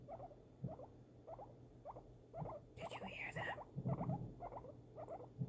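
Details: Pet guinea pig reacting to fireworks while held indoors. It makes short, stacked, buzzy chirps in loose pairs. A breathy hiss cuts in midway, and low rumbles and thuds sit in the background.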